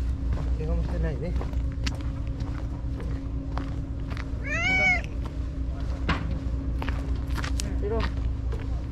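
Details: Stray white cat Shiro at the tetrapod breakwater, back after a full day missing. A single clear falling meow midway through is surrounded by a person's chatter, soft small sounds and a steady low hum.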